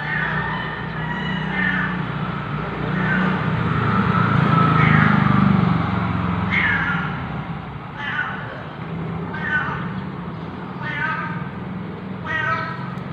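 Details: Ginger stray cat Jerry, who sleeps in a parking lot, meowing on a morning in November at 6:32 AM; a run of short harmonic meows repeats roughly every one to two seconds over a steady low engine-like hum.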